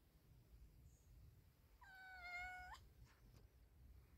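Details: Quiet, held meow from a male cat mating with a pregnant female, about one second long, flat and tonal, set against a low background rumble.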